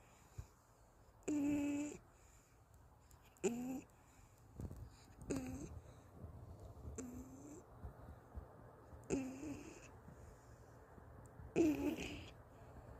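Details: Tired after a walk, the Golden Retriever Anggeum sleeps at home in someone's arms and snores: irregular breathy snorts with short humming, whiny tones, six or seven bursts spread unevenly over thirteen seconds, a quiet room between them.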